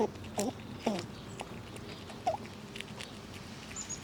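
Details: Squirrels feeding on nuts outside in the cold; a few crisp cracks and crunches early on, then quieter isolated clicks with long gaps between them.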